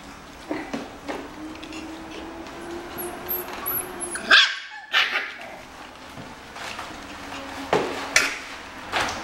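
Shiba Inu puppies whine and give sharp little yips while looking for their mother.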